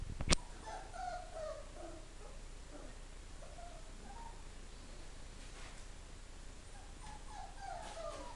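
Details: Four-week-old greyhound pups whose mother died a few days earlier, quiet thin whines sliding around a mid pitch in short wavering bursts, a sharp knock at the start, soft background hiss.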